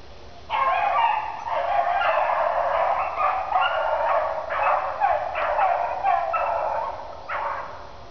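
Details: Two dogs, Daisy and Blue, running in a swamp, give continuous excited barking and baying from about half a second on, dense overlapping calls with brief pauses near five and seven seconds, fading at the end.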